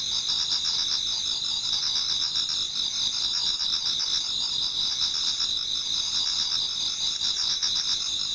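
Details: Numerous insects in a Japanese garden sing towards autumn dawn, producing a thick, even, high-pitched ringing hum, threaded with quick regular pulses that gently wax and wane.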